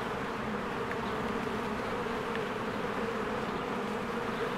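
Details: A swarm of bees works busily around a cozy beehive in spring. The low, continuous buzz forms a thick, even drone that never breaks, and brief faint ticks show above it.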